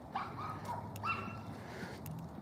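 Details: Two small neighbourhood dogs bark from a street corner during a cold morning walk; short, yappy barks come in a quick cluster of three or four, then fade, over steady low traffic-like rumble and footsteps.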